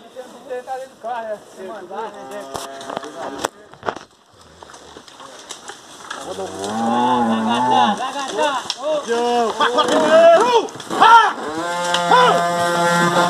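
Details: Oxen pulling carts through streams, a deep drawn-out moo with strong harmonics lasting about two seconds, followed by other long tonal calls, mixed with music and some talking.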